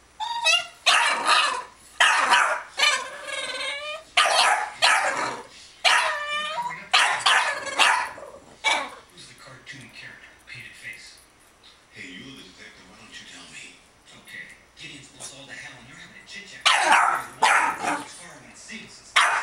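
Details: Two Boston Terriers playing a 'monster under the bed' game indoors: a quick run of high, harmonic yipping barks in close bursts for about nine seconds, quieter grumbling sounds after that, then a final burst of yips near the end.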